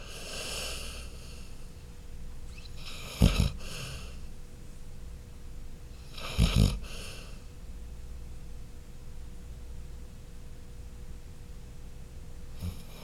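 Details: Dog named Chloe snoring in a small room: two short, sharp snorting snores about three seconds apart, then a long quiet stretch of soft breathing.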